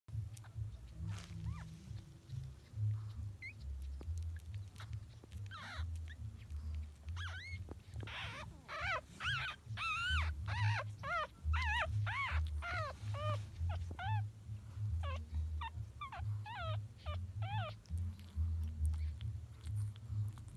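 Chihuahua puppies whimper in thin, high, rising-and-falling squeaks while searching for a nipple to nurse.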